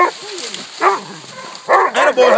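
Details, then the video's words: Coonhounds, two walkers aged 8 months and 5 years, a 6-year-old black and tan and an 18-month-old bluetick, treeing a raccoon at a new hunting spot; short arched barks, a lone bark, then a louder cluster of rapid chopped barks. "New coon hunting spot. 2 walkers. Blue tick. And a black and tan"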